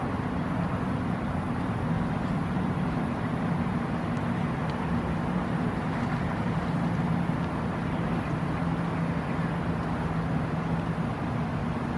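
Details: A steady low rumble of traffic or engine noise continues for the whole span.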